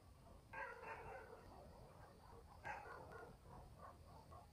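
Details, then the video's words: Night in a country village with dogs barking: two separate rough barks about two seconds apart, each followed by fainter trailing yelps, all distant against a quiet continuous hum. "barking dogs in the village"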